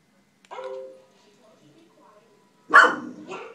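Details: Pet wheaten terrier indoors barking at a dog on the television: a faint tonal whine-like sound early on, then one loud, sharp bark followed by a shorter second yelp.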